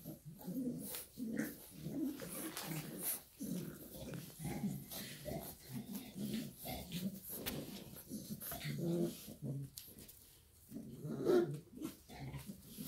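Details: Shar Pei mom together with her puppies, a steady run of low snuffling grunts and soft whimpers, pausing briefly near the end before a final murmur.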